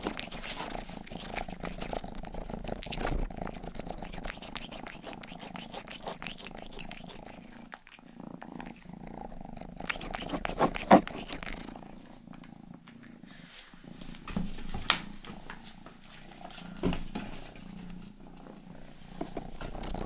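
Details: Youngest house cat Rangi gives a long, even purr, a low pulsing hum with brief pauses, overlaid by scattered ear-licking clicks and rustles during a close-up grooming session.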